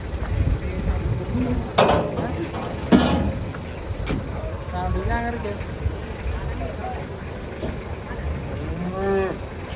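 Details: Cattle in a pen lowing: a drawn-out, wavering moo around the fifth second and a longer, arching moo near the ninth, over a steady low rumble, faint background hum and occasional human voices.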